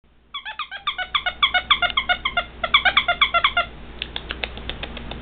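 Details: A female Shih Tzu puppy gives a rapid run of high, squeaky whimpers.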